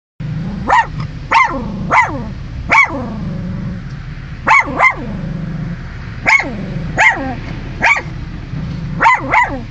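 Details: A dog wiggling its tail while barking gives about eleven sharp, loud barks in uneven bursts, some close together in pairs, with short pauses between them over a steady low hum.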